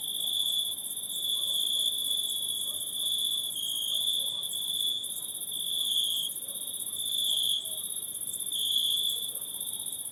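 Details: Night forest insects keep up a continuous piercing trill with slow swells in volume and a thin, very high shimmering layer above, and nothing else stands out.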